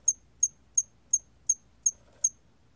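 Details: Hairy cricket song, recorded in 2020: a thin, very high-pitched chirp repeated seven times at an even pace of roughly three per second, each pulse brief and clean against a quiet background.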